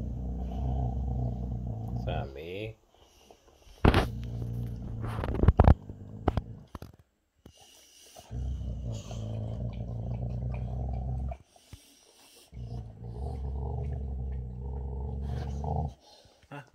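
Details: Boxer Rex, the big brother, growls while eating his special treat because younger brother Sammie is bothering him. Deep, steady rumbling growls come in three long bouts of about three seconds each. Sharp clicks and a human voice fall between the bouts.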